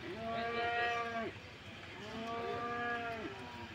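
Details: Calves at the cattle market in Sokaraja: two drawn-out, harmonically rich moos, each about a second long, separated by a short pause, over low background murmur.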